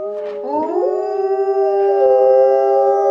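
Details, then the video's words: Alaskan Malamutes, three pets named Sojou, Fish and Dotty, howling together with a younger one; long sustained tones near mid pitch with layered harmonics, two voices bending upward and overlapping in a steady chorus. "Next Generation Howling"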